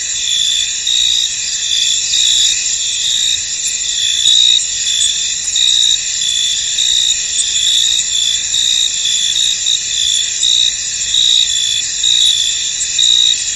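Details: Crickets chirping in a misty, foggy field, a dense continuous high-pitched chorus with brighter pulsed trills rising and falling over a steady insect hum; no other voices or noises stand out.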